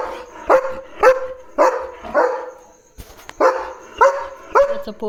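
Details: In the evening, a German Shepherd on guard duty gives deep, loud barks in short bursts after spotting another dog outside the gate.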